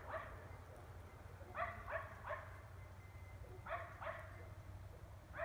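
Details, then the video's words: Neighbours' dogs barking nonstop at night in Emmett, Gem County, Idaho, recorded 14 April 2020 at 9:30 pm; sharp distant barks in irregular bursts of two or three, over a steady low hum. "Non Stop Barking for 3 Hours"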